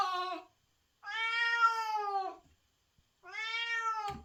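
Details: White cat in heat calling for a mate indoors: three long, loud, tonal meows, the middle one longest at over a second, each steady then falling slightly, with short silent gaps between.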